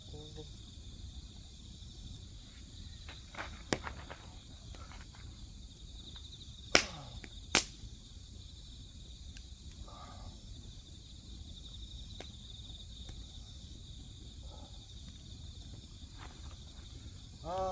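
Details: Grass insects keep up a dense, even, high trilling chorus while firewood crackles nearby with several sharp snaps, a couple of close pops in the middle, and soft scattered ticks.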